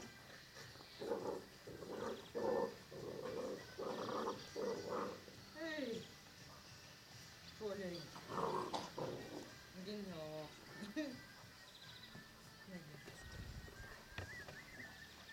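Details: Playing Ca de Bou and Dogo Canario puppies give rough, low grunting growl bursts for about five seconds, then a run of quick, falling yelps and whimpers, some in rapid triplets, over soft background voices.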